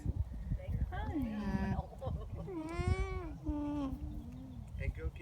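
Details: Alpacas, a mother with her young, filmed up close on a phone at a farm in Townville, South Carolina: soft tonal hums that bend up and down in pitch, several in a row, while a woman talks to them.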